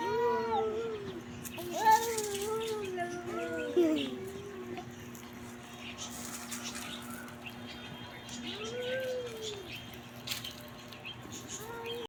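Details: Cat giving a series of short arched meows in quick succession early on, then a quiet stretch and one more meow later, with a constant low hum and light background noise throughout.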